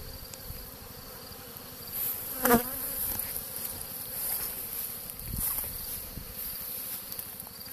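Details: Swarming honey bees on a tree beside a Dadant-Blath hive, filmed on a phone; continuous low buzzing of a dense swarm, with a few louder close passes of individual bees and brief handling knocks.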